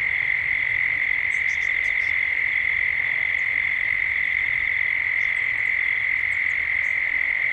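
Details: Dusk chorus of cicadas in Gippsland, Australia. A relentless, steady high buzz runs unchanged, while small clusters of quick high chirps break in near the start and again toward the end.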